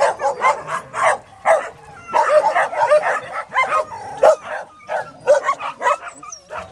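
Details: Dogs housed at the Bark Ark shelter giving sharp, scattered barks from several animals, with short high whines and yips threaded between them.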